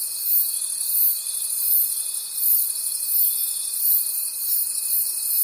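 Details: In a nighttime forest, crickets keep up a bright, pulsing trill repeated about three times each second, over a constant thin high-pitched hum that lasts throughout.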